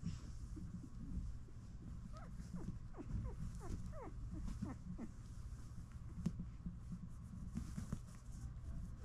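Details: Labradoodle mother licking and cleaning her newborn puppies indoors; a burst of thin, squeaky cries, quick rising and falling chirps clustered over about three seconds, over a steady low rumble with soft licking and rustling.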